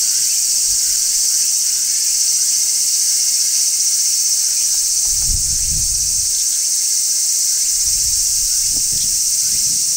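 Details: Large brown cicada singing on a tree in midsummer, wild: a steady, unbroken high-pitched shrill drone holding level throughout, with faint low thumps and soft background rustle beneath.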